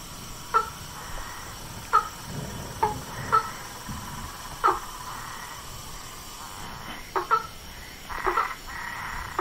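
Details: Frogs, toads and tree frogs calling in nature: short knocking notes come singly or in quick pairs at uneven gaps over a soft, steady background hiss.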